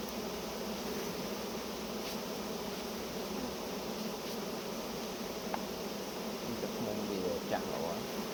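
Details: Honey bees swarming around a hive during honey harvest, making a dense continuous buzz with no breaks, faint human voices and occasional knocks heard underneath.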